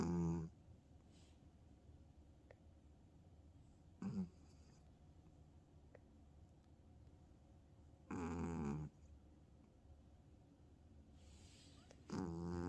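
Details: Female tabby cat snoring loudly while asleep on her owner indoors: rough, buzzing snores with a strong low rumble, coming roughly every four seconds, with quiet breathing between them.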